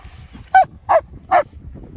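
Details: Nico and Zeeva, German Shepherds playing in Scottish Borders sunshine at Hawick: three crisp barks spaced roughly four tenths of a second apart against a quiet background.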